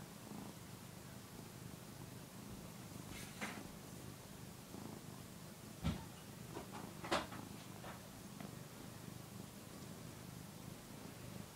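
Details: Young male cat, a year old, purring as he kneads and suckles a soft housecoat indoors; continuous low rumble lasting throughout, broken by a few sharp clicks and rustles.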